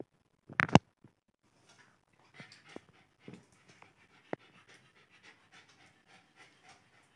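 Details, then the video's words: Alice, a Lhasa Apso puppy at play, gives rapid soft panting breaths after a loud clatter at the start, with occasional knocks through the rest. "Lhasa Apso puppy is playing"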